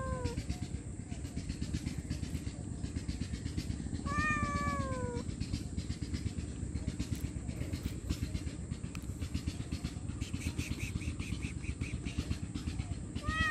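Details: Hungry homeless stray cat meowing loudly for food and shelter: one drawn-out, wavering meow near the middle, clipped meows at the start and end, and faint higher calls later, over a constant low mechanical rumble.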